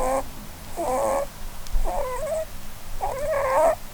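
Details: Sleeping under the Christmas tree, the Holland Lop doe Blueberry gives four squeaky, wavering whistle-like snores about a second apart, each with a reedy, slightly rising then falling tone, indoors and otherwise quiet.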